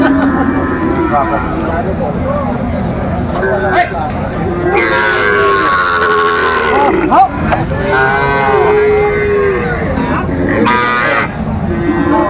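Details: Young Sahiwal bulls at a busy Chattogram livestock market, Bangladesh, December 2024. There are several deep, drawn-out moos, some wavering and overlapping, with shorter lows later, amid constant human speech and crowd noise.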